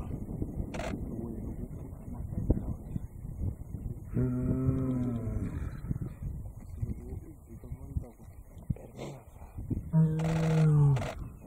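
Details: In Manyeleti Game Reserve, a male lion gives two deep, drawn-out, soft moaning roars, and the observer thinks he is calling for his brother.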